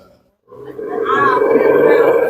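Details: A biting dog gives a sustained, tonal growling vocalization that starts abruptly after a brief silence and holds steady, strong and unbroken, for nearly two seconds.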